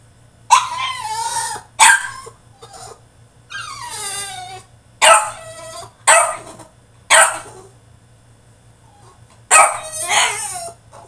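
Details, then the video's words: Caged French Bulldog in a tantrum, letting out a run of harsh, yelping barks that slide into drawn-out whines, about eight bursts with short pauses, over a faint low hum. "FRENCH BULLDOG THROWS TANTRUM IN HIS CAGE!!"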